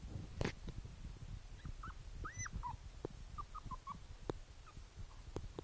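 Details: Boston Terrier puppy, Princess Izzy, five weeks old, in a basket on 12/4/2011: thin, high whimpers, one longer arched squeal, then several short squeaky whines, with soft clicks and rustling throughout.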